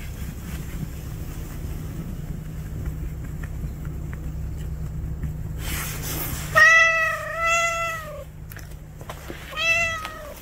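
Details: After a quiet stretch and a burst of rustling, one of the two cats, house cat Juhwang-i or stray Noranggi, newly sharing a room, gives two quick, bending meows, then a third a second later.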